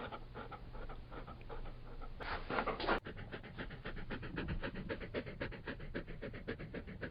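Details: Labrador Retriever panting in rapid, steady breaths, close and clear, with a brief louder rustling burst partway through before the rhythmic huffing resumes.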